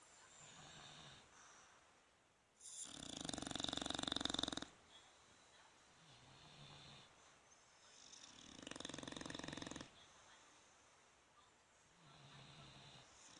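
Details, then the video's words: Two bulldogs, Fukumaru and Rikyu, snoring in sleep on 26 November 2016: two harsh vibrating snores about six seconds apart, each roughly two seconds long, separated by quieter wheezy breaths. "ブルドッグ 福丸&利休。本日のいびき"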